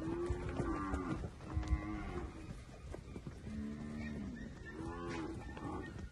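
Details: Nelore heifers, 13 to 15 months old, from a group of 37 in the Jales region of São Paulo state, Brazil: a long, low moo opens, then a short one, then several moos in close succession, with shuffling noises between.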